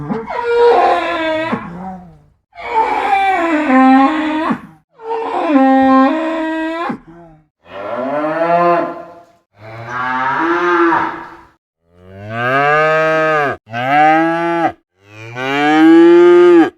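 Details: A cow gives a series of long, deep, harmonic moos with short pauses between them.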